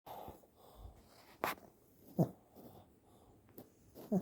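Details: Shih Tzu. A sleeping Shih Tzu gives quiet, low snores, each breath a brief rasping rumble. The breaths come irregularly, roughly every second or two, with a couple of sharp clicks in a quiet indoor room.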